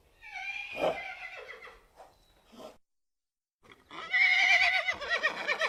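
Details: Horse whinnying in two bursts split by a brief silence: a shaky, trembling neigh first, then a louder, shrill whinny that rises and quavers to the end.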